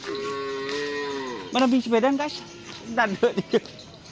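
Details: Madura cattle at karapan sapi racing practice in Pamekasan: a long, even, slightly falling moo, followed by short wavering bursts of sound and distant crowd noise.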